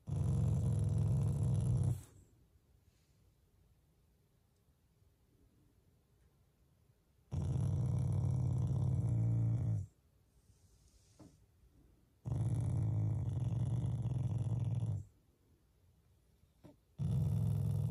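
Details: Affectionate growling from a pet Shiba Inu that is not angry: three low, throaty rumbles of two to three seconds each, broken by silent gaps, the last starting just before the end.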